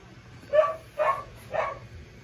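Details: Lucille, a seven-week-old puppy called Lucy, gives three short, high yipping barks about half a second apart over a quiet indoor background.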